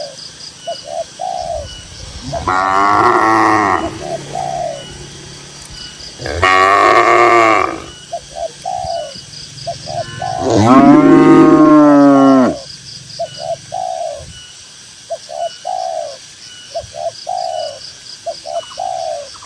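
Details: Grazing tame cattle in a green countryside field give three strong bellowing moos spaced a few seconds apart, the last the loudest and longest. Between them, doves coo in short, evenly repeated phrases.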